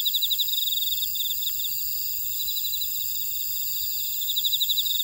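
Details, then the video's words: Jeju Island buckwheat field at Ora-dong, South Korea, alive with grass insects. Quick rhythmic chirps repeat about four per second above a continuous thin high ringing, loudest at the start and end. "제주 메밀밭의 풀벌레 소리"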